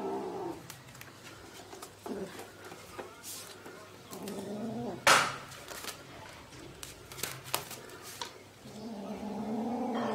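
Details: Sietong, a pet cat that later died of a virus, indoors in a small room; soft harmonic meows around 0.5 and 2.5 seconds and again near the end, with clicks, handling noise and a faint voice in the background.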